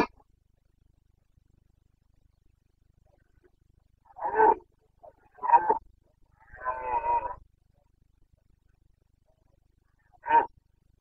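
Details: Carpathian red deer stag in Bucovina during the breeding season, late September 2022: four short, rough roars spaced over several seconds, separated by quiet gaps, with no other clear sounds.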